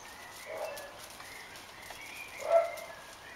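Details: Quiet, soft Maine Coon mews: a muffled call early on, then a louder, clearer single mew near the end over a low, steady background hiss.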